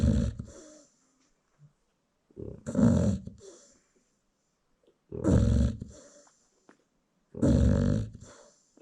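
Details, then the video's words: American Bully dam sleeping as her newborn puppies feed, four deep rumbling snores, each about a second long, recurring roughly every two to three seconds over near silence. "Newborn American Bully Puppies Feeding While Mom Snores"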